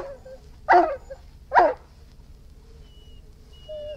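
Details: Irish Wolfhound giving two deep, loud barks under a second apart, followed by quiet, thin whining tones and low background hum.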